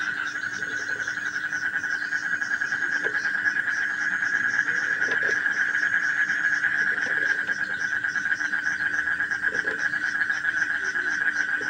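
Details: Frog chorus, presented as a sleep sound for children: an unbroken buzzing drone holds steady throughout, with soft high ticking pulses and a few scattered low knocks.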